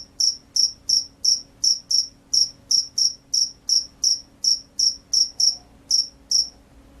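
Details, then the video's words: Loud chirps from a field cricket: crisp, high-pitched pulses repeating almost three times a second, evenly timed, ending with two slightly more widely spaced chirps. A quiet background with a faint steady hum. "SUARA JANGKRIK SAWAH"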